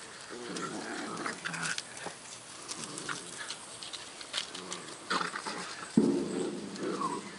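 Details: Several 8-week-old black Great Dane puppies playing outdoors amid rain drops on 1 September 2010; short rough growls and yappy bursts come at irregular intervals over a steady background hiss, with a louder scuffle near the end.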